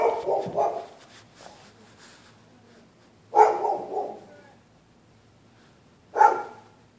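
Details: Night barking from neighbourhood dogs set off by people walking the public sidewalk: a quick double bark, then louder single and doubled barks spaced about three seconds apart in a still setting.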